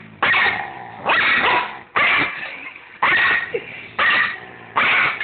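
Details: Two pet dogs, Tobey and Kitkat, arguing with each other: six harsh, sharp barks in quick succession, about one each second, with quieter noise between them.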